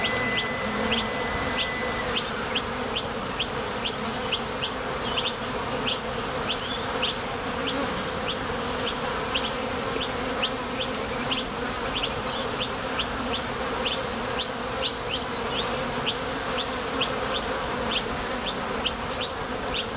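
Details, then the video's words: A thick, unbroken buzz of honey bees departing and landing at the entrance of a Top Bar Hive while foraging for nectar. Rapid high-pitched ticking chirps are scattered densely throughout. "Bees Sound Effects | WHITE NOISE | RUIDO BLANCO RELAJANTE Sonido de las Abejas."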